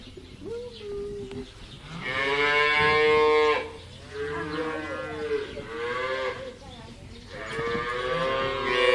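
A cow moos in long, drawn-out, rich-toned calls, several in a row.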